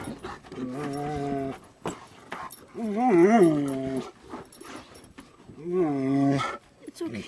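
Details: Greater Swiss Mountain Dog named Gracie, kept with a second Greater Swiss Mountain Dog and an Alaskan Malamute, giving three drawn-out, wavering harmonic whines and howls while a person repeatedly soothes with reassuring words over soft music.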